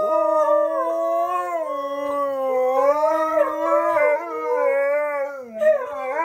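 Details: Husky crossed with malamute singing along to a shampoo advert beside his best friend, pitched unusually high and siren-like: a sustained wavering howl with rich harmonics, gently rising and falling for over six seconds.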